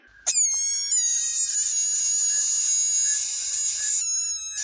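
A frog gives a loud, sustained, bleating cry, a sound used to tell other animals to go away.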